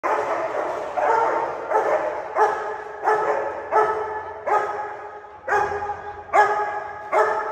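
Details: Tibetan Mastiff puppies fighting, one attacking and biting the other; continuous harsh, tonal barking and yelping with fresh outbursts roughly every 0.7 seconds, loud and sustained throughout.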